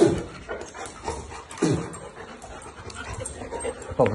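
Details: Labrador Retrievers named Zera, Tom, Foxy and Alabel, fighting: short rough barks or growl bursts at the start, near the middle and at the end, with low scuffling noise between them.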